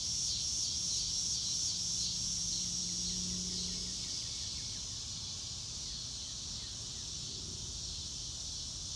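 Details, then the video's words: High, even cricket chorus from a natural grassy spot, with rapid regular ticking pulses and a thin bright whistle over the first seconds, plus a low steady tone and light ambient noise. "Nature Sounds - Real Time - No Music - Meditation - Crickets"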